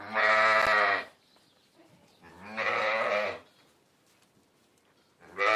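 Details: Sheep bleating in long, harmonic-rich, wavering calls of about a second each, three bleats separated by quiet pauses, the last cut off at the end.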